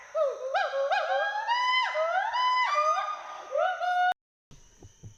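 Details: Two Western hoolock gibbons playing in the forest of Hollongapar Gibbon Sanctuary, Assam; a run of upward-swooping hoots in quick series, ending abruptly after four seconds, followed by faint low rustling.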